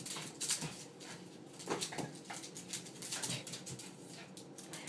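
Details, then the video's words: Two dogs wrestling in play fighting, short noisy growls and huffs in quick irregular bursts, with scuffling and rustling throughout. "Dogs play fighting"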